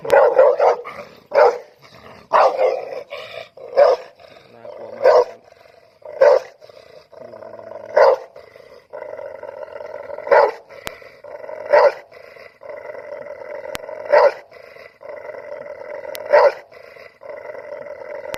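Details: Loud dog barking in single sharp barks spaced roughly a second apart, irregular rhythm, with a steady humming tone running underneath through much of the recording.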